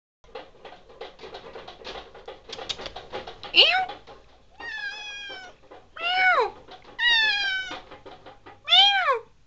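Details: A male pet cat, described as having a whiny meow, trades meows with his owner indoors; soft murmured chirps first, then five loud whining meows, some falling in pitch, others long and level, spaced about a second apart.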